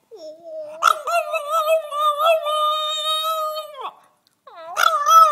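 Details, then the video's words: A relaxed two-year-old French Bulldog "sings" as if in conversation, in a long, wavering, tonal howl with rich harmonics, then starts again. "Bouledogue français qui chante"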